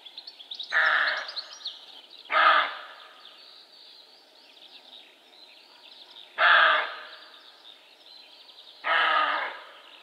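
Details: Barking buck roe deer (Capreolus capreolus): four harsh, coarse barks spread irregularly over ten seconds, gaps of about two to four seconds, with woodland birds singing and chirping in the background.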